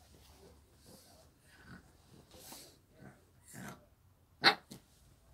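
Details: Shih Tzu named Lotto indoors in a quiet small room: soft snuffling breaths and faint murmurs, then one sudden sharp bark-like burst near the end followed by a shorter, softer second one.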